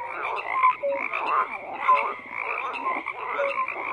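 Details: Croaking frogs in full chorus: rough overlapping rattles swell and ease, while short whistle-like notes stand out roughly once a second above the din.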